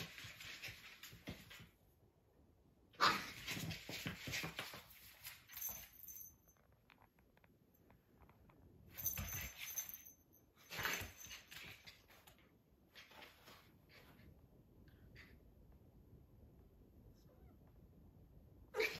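A Staffordshire Bull Terrier puppy gives short, high whimpering cries in bursts, separated by quiet gaps.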